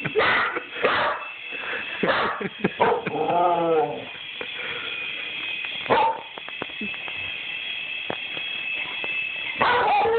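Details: A dog barking at a toy helicopter; sharp repeated barks and a whining yelp sound over the constant high whirring buzz of the toy's rotor.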